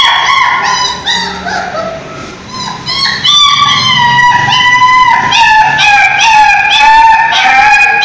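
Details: Street dogs crying aggressively: high, drawn-out whining cries that glide slightly downward, with overlapping voices. The cries come in quick succession and grow louder and steadier after the first few seconds.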